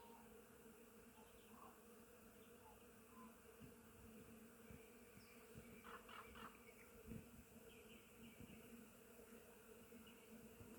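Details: In spring, countless honey bees visiting a flowering willow fill the air with a continuous, layered low hum, with individual bees swelling louder as they fly near, then fading back.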